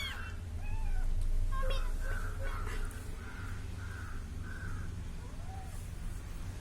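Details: Little kitten following a person; a few faint, short arched meows come at irregular moments against a steady low hum, with other harsh calls in the background.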